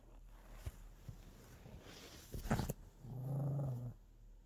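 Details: Pomeranian Gimpodol, a pet dog, guarding a snack it fears losing. It gives a low, steady growl lasting about a second, preceded by soft clicks and rustling handling noises indoors.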